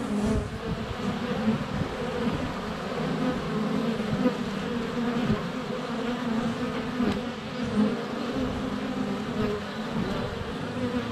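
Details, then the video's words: A sunny February day at a beehive entrance with many honey bees flying around a GoPro Hero 7 Black set less than a foot away; an unbroken, even hum of wings with occasional soft ticks and brief louder fly-bys. "Honey Bees - ambient video and audio"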